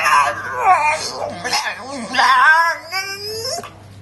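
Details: Staffordshire Bull Terrier, excited with children around, making his whining, yodelling 'talking' noise while trying to get a share of a cupcake: wavering, rising and falling moans and whines in a continuous run.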